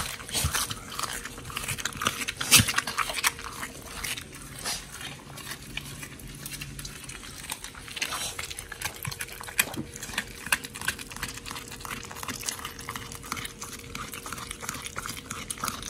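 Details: Two pit bulls, Oli and Nommy, eating a raw diet of giant white snapper in an October 2023 feeding session; continuous busy smacking and gnawing, sharp crunches, a faint steady hum beneath.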